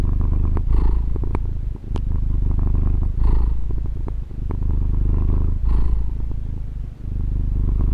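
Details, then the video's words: Domestic cat, a female pet, purring, recorded close up with a Tascam DR-40: a continuous low rumbling purr with steady fast pulsing, rising into a stronger breathy swell about every two and a half seconds as the cat inhales. "Fusa di Gatto ASMR | registrazione con Tascam DR-40 gatto che fa le fusa"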